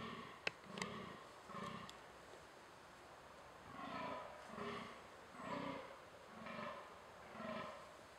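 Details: In a thicket, a fallow deer buck in rut delivers a rhythmic series of about eight deep, gruff belching groans, roughly one each second, after a couple of sharp clicks at the start; soft background hiss throughout.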